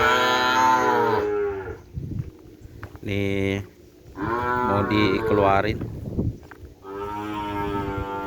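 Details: Several moos from Madura kerapan racing cattle brought from Sapudi Island, some long and some clipped, with rougher broken calls in between and low background noise.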